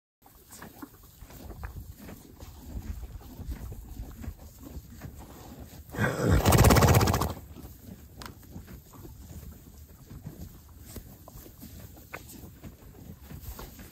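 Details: Horse munching hay at Singing Horse Ranch near Vernon, British Columbia, Canada, lets out a single loud, breathy snort midway, a burst lasting over a second, amid steady rhythmic crunching of hay before and after.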